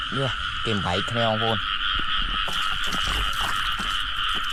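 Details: Frogs in a flooded rice field in rainy weather, found in pairs while being caught by hand. Three bursts of deep, rising-and-falling harmonic croaks come in the first second and a half, over a steady high drone and splashing.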